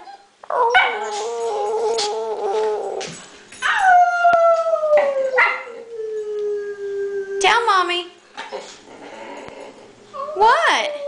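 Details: Boxer dog indoors whining and howling to go outside to join the husband in the garage, not needing to pee; long sliding tonal cries that fall in pitch, broken into several drawn-out moans with short yips, a woman talking between them.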